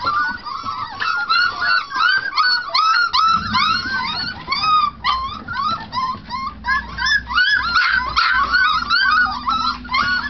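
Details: Four-week-old Treeing Tennessee Brindle puppies treeing at their food bowl, a chorus of shrill rising-and-falling yelps tumbling over one another at a fast, uneven pace, with a low steady hum underneath from about three seconds on.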